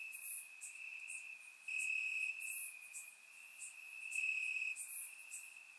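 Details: Warm summer night in Bulgaria with crickets in the grass: a continuous shrill trill holds one high pitch, swelling and fading slightly, while brief higher chirps from other insects flicker above it.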